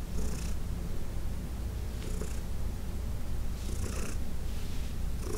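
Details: Heidi, a senior cat adopted from the Humane Society of New York City, purring during a massage on June 17, 2021; steady low rumbling throb with brief soft hissing rustles at about 0.3, 2.2, 3.9 and 5.4 seconds.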